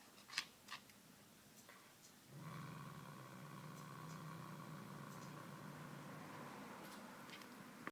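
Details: Indoors, a male house cat plays with a small white toy mouse, a late Christmas gift, catnip drops given; after a few sharp taps, a continuous low throaty growl starts and holds for over five seconds.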